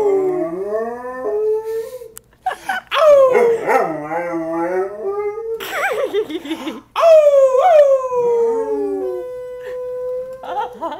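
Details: London, a domestic dog trained over months, howls at a fire siren: overlapping wavering howls that slide up and down, broken by short yips and gaps, ending on a long steady held tone.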